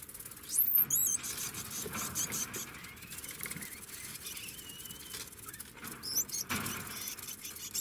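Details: Degu voicing short, high, whistled squeaks that sweep up and down, one burst early and another near the end, over rustling and soft shuffling noises.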